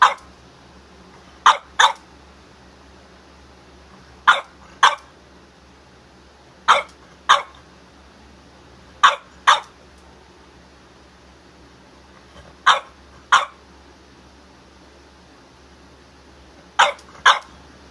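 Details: A French Bulldog barking in pairs: short sharp double barks repeated roughly every two to three seconds, six pairs across the recording, with quiet room background between them.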